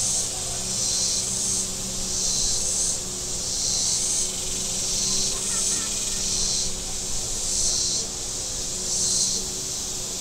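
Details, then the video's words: Cicadas along the shore of Table Rock Lake in southern Missouri on a warm Saturday, a shrill high buzz rising and falling about every 1.5 seconds, with boat engine drone and faint distant sounds below. "Boating Lake Sounds and Cicadas"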